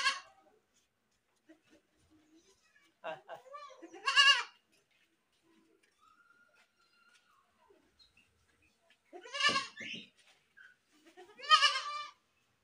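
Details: Goat screaming: three loud, wavering, harmonic bleats with a trembling quality, near four, nine and a half and eleven and a half seconds, separated by quiet stretches with faint clicks and small noises.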